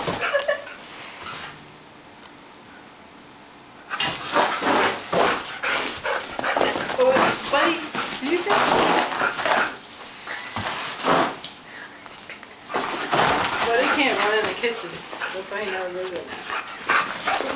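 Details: Two dogs, Ziggy and Buddy, a Boston terrier and a chow mix, chase each other in play indoors; bursts of rough, yappy barking and growly play noise come in busy clusters after a quiet start, while a person keeps talking to them.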